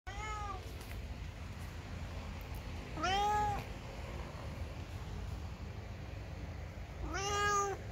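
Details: Ginger domestic cat meowing indoors as if complaining: three drawn-out, arching meows, one cut off at the start, then others near three and seven seconds, each with rich stacked overtones over a steady low hum.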